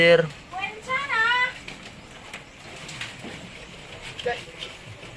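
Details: F1 Anglo-Nubian goat at Terra Grande Farms, Guin-ob, San Carlos City, Negros Occidental, Philippines: a loud, quavering bleat with wavering tone lasting about a second near the start, then fainter farm sounds under a man talking.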